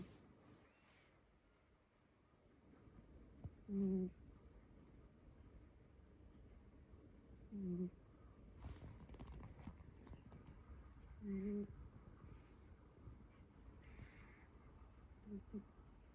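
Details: Chii, a pet cat taken in long ago, sleeps on a person's lap indoors and snores: short, low, harmonic rasps recur about every four seconds, with faint rustling between them.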